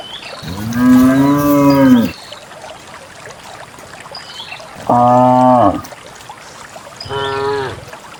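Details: Countryside cattle walking out in a herd of dozens toward a green valley in the morning; a long, deep, rich moo followed by two shorter lowing calls, over soft background birdsong.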